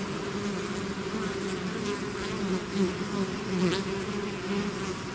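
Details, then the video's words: A swarm of bees pours out of its hive in continuous humming, the drone holding steady while individual bees zip close by with brief louder whines. "bees therapy swarm natural buzzing sound"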